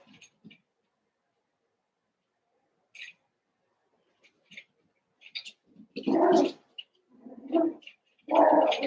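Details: Cavalier King Charles Spaniel puppies, Daisy's six joined with Robin's two for play, give faint scattered squeaks, then several louder, drawn-out whining yelps close together in the final three seconds.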